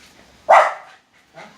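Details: Dog barking very loudly, said to be afraid of another dog: one sharp, harsh bark that decays over about half a second, followed by a fainter second bark.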